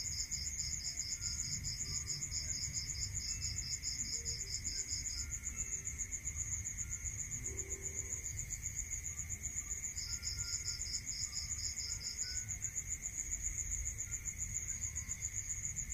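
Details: Crickets at night in a rural area: a fast, steady high chirping band near the top, with a second pulsed chirping series that starts and stops, and a constant lower whine over faint low rumble.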